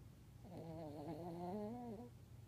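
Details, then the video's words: Pet dog snoring: one drawn-out, tonal snore lasting about a second and a half, steady and low with a slight wavering rise near its end, over a quiet room hum. "Our Pubby Buddy Snoring"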